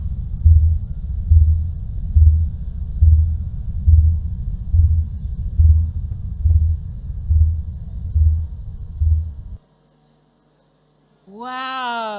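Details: A blue whale recorded underwater by hydrophone gives deep, booming song pulses, steady like a slow heartbeat about once a second.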